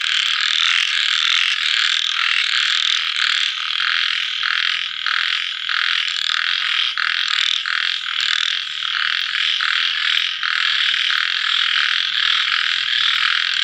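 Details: Post-rain evening chorus of small frogs: a loud, steady wall of overlapping rasping croaks, faintly pulsed and barely varying in volume throughout.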